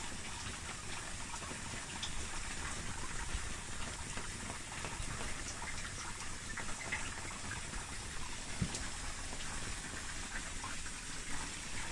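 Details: Continuous rushing water and rain-like hiss fills the recording, with no clear animal call standing out.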